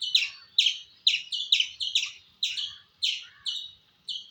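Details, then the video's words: Squirrel uttering a fast volley of high, piercing chirps, several crowded close together at first, then spacing out to about one every half second. "Squirrel Making Sound"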